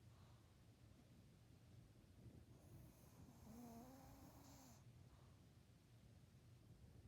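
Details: A sleeping dog snores in a steady, low, rough rumble of breaths; midway a short wavering tonal call rises and dips over it, with a faint high hiss alongside.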